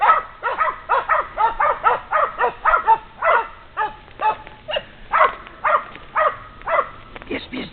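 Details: Two female Polish Hounds bay after tracking a wounded wild boar along an 800-metre trail, 12 hours after the shot. Loud, harmonic barks come in rapid bursts, about two per second, steady and insistent.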